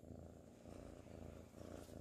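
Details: Ginger tabby kitten Sir Salmon, sleepy and cuddling in 2019, gives a continuous low throaty purr that swells slightly and falls back. A voice softly says his name nearby.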